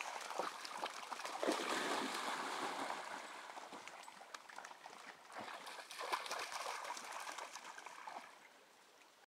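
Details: Splashing and trickling water at a pond, with no animal calls.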